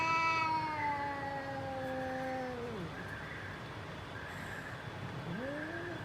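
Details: Fighting cat: a long harmonic wail slowly descending then dropping away, a pause with faint background noise, then a new yowl rising sharply at the end.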